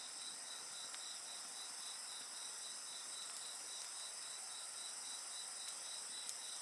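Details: Insects fill the scene with a constant, rapidly beaded high trill and a shriller ringing tone above, the fire almost silent apart from one or two faint pops.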